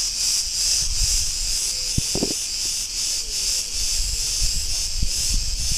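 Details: A dense chorus of Cretan cicadas in a street in Ierapetra, Crete, Greece, gives a steady, shrill buzz pulsing about every half second, over low rumbling, probably traffic, and a few faint thin squeaks.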